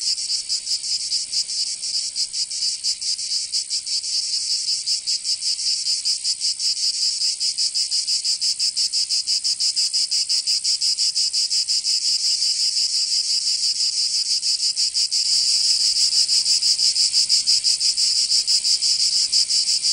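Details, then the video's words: Summer cicada chorus from Provence in the south of France, a continuous rasping high buzz with rapid pulsing that grows smoother and slightly louder in the last few seconds. "Canto Cigarra 🦗 [ Escuchar les cigarras en verano 10 H]"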